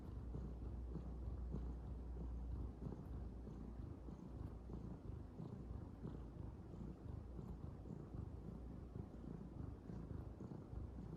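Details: Low, continuous purring rumble from a calico kitten kneading nonstop, pulsing irregularly, with a slight wind-like hiss in the background.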